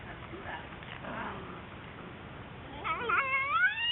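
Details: Whippet puppies at home: soft low murmuring, then rising, wavering high whines near the end that grow louder and climb in pitch over about a second.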